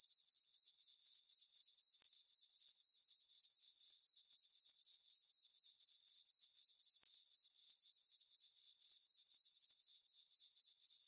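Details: On a peaceful summer night in a meadow on a farm, crickets sing a high-pitched, rhythmic chirping, pulses coming about four per second without a break, with nothing else audible.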